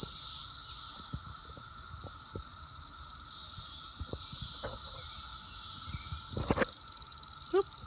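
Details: Dense chorus of Brood X periodical cicadas singing in an apple tree on June 6, very loud steady hissing drone with a faint whining tone beneath.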